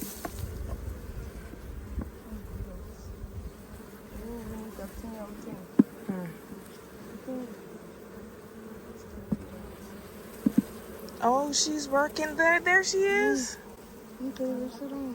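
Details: A caught swarm of honey bees gives a continuous, even drone that holds a steady pitch throughout. Human voices join near the end.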